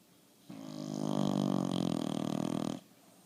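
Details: A bulldog gives a single drawn-out snore lasting over two seconds, a rough, buzzing rattle that swells and then stops abruptly.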